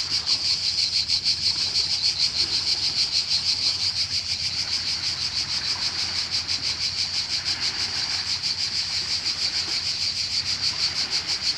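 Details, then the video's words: Cicada chorus in Croatia, linked to a holiday feeling: a dense, steady, high-pitched buzzing drone, pulsing rapidly without pause for the whole stretch, with a faint low background rumble. "Cicada (Cicala) and wave sound in Croatia"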